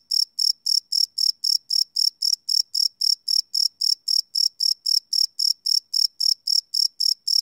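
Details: Night-time cricket chirping captured live with a Sony PCM D100 field recorder, the pulses shrill and evenly spaced, close to four a second, keeping a constant loudness. No other sounds intrude.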